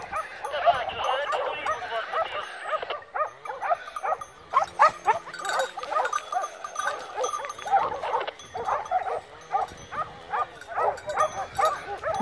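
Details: Pack of Segugio Maremmano hounds from a breeding kennel giving tongue during a November 2017 wild boar drive near Poggio San Lorenzo, Rieti, Italy; dense chorus of overlapping barks and bays, with a short lull around three seconds before the yelping swells again.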